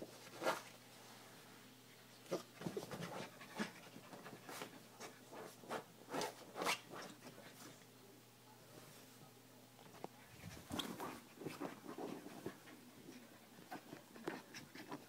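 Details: Nismo, a 7-week-old Siberian Husky puppy, attacks his bed indoors in a small room, giving short scattered growly yips and huffs amid rustling and scuffling, with a denser burst of rough sounds near the end.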